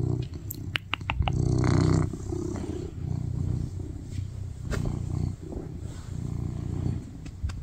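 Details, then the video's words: Male tuxedo cat purring on a lap during a cuddle, an attention-seeking pet asking for affection; continuous low rumble with a few sharp clicks and rustles near the start. "Sweetest cat purring loudly on my lap and cuddle"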